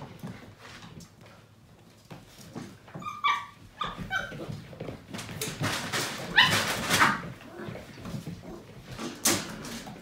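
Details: Portuguese Water Dog puppies, a seven-week-old litter, playing indoors; a few short high whimpering yips around three to four seconds, then scuffling, thumping broadband play noise and another brief squeal near the end.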